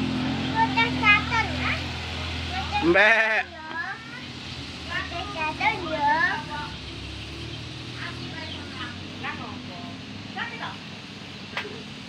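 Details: Goat being readied for the Qurban sacrifice, eating grass: a single loud, quavering bleat with a wavering tone about three seconds in, surrounded by people talking throughout and faint background traffic.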